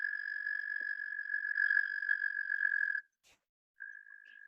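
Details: Pennsylvania recording of a singing male Eastern American toad: a steady, high trill runs for three seconds, stops abruptly, and after a short gap another quieter trill begins.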